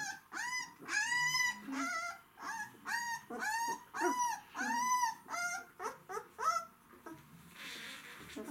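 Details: Hungry White Swiss Shepherd dogs producing loud, clear, arched whines, each about half a second long and rich in overtones, coming in a quick uneven series before fading into a soft rustle.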